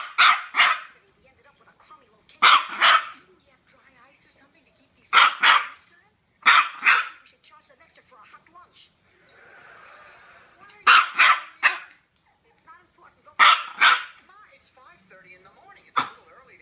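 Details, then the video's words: Teacup Yorkie barking in short clusters of two or three shrill yaps, separated by pauses of a few seconds, with a soft hiss in one gap and faint background noises. "TEACUP YORKIE BARKING"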